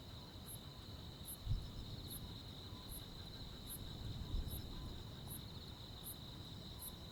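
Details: Countryside crickets with other insects on a midsummer night, giving a continuous high buzzing drone and sharp, short chirps spaced about 0.8 seconds apart; two soft low thumps interrupt the steady rural background.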